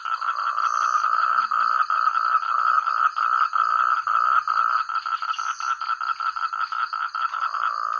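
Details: Frogs in rural rice paddies calling together, many overlapping voices forming a continuous dense croaking that breaks into more separate rapid pulses in the second half, a thin high whine persisting in the background.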